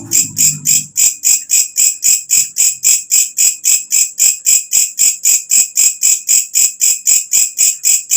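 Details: ['Shrill, metallic pulses from a walang kecek katydid, an insect that sings loudly once night falls and is used to train songbirds, repeat nearly four times a second with clockwork regularity. A brief low rumble sounds at the start.']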